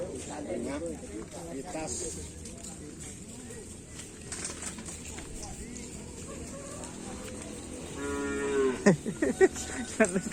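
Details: Karapan sapi racing cattle, a team being paired with another bull; near the end a few loud, harmonic lowing moos rise and fall over background music, crowd noise and laughter.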